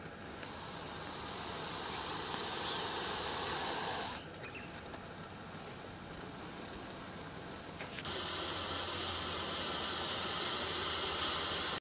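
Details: Angry Russell's viper, locally called gussel saap, hissing: loud breathy hiss for about four seconds, a quieter stretch, then a strong hiss again to the end, steady and airy throughout.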